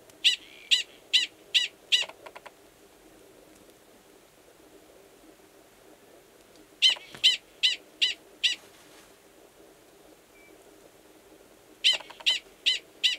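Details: A male Gunnison's prairie dog, Valles Caldera National Preserve, New Mexico, during March, calling over a burrow where an estrous female waits; three bursts of five or six piercing chirps each, spaced by long silent gaps.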